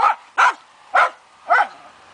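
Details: Fox terrier barking during a wild boar hunt: four sharp, loud barks spaced roughly half a second apart, with quiet gaps between them.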